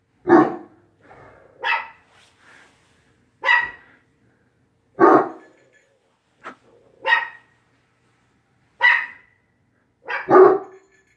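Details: Barking from Quidam the dog at WAG!, supported by Bella, a 7-pound dog; roughly nine loud barks at uneven intervals, mixing bright, high yaps with deeper chesty barks, the final two given in quick succession.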